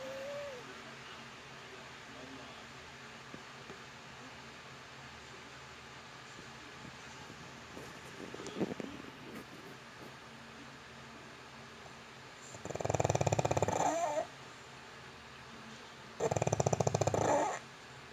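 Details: Sleeping pug named Yitong snoring in a quiet indoor room. Faint talking and a steady hum fill the first half, then two loud, rough snores follow about three seconds apart.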